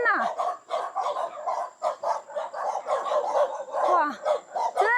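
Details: A group of six or seven domestic dogs barks as they come out to greet visitors at a remote mountain homestead in Hunan, China. Dense, overlapping barks with short sharp yips follow each other almost without pause, with a person's voice faintly mixed in.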